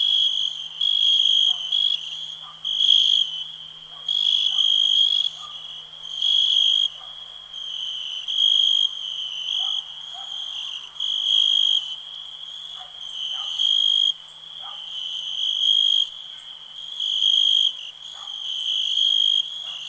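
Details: Crickets singing in a peaceful nighttime ambience: a steady high-pitched ringing trill that swells into louder pulsed bursts about every second and a half, with faint lower chirps scattered beneath and a soft low hum throughout.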